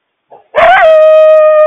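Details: Coyote calling, a mother sounding frantic as she warns the family about a large loose stray dog; a brief yelp breaks into a loud, steady, sustained howl held on one pitch.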